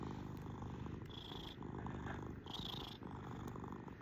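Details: Pet cat giving a low, rough purr that runs without pause, its breathing rhythm audible as gentle shifts in tone, with a soft high hiss on certain breaths.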